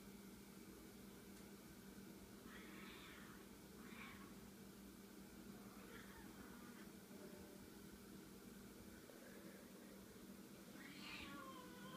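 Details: Two domestic kittens, Fellini and Wolfie, wrestling together for the first time indoors; several short, wavering high squeals and mews come in separate bursts, with a steady low hum underneath.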